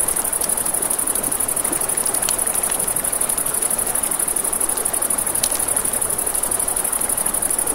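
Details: Along a river at night, crickets sustain a bright, rapidly pulsing trill, accompanied by popping campfire crackles and the constant rush of water.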